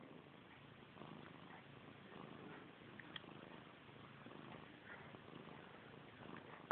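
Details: Domestic cat Missy Grey, obsessed with her own tail since kittenhood, purring close up: a steady, rough, rumbling drone with a faint pulsing texture throughout, plus a soft click near the middle and another at the end.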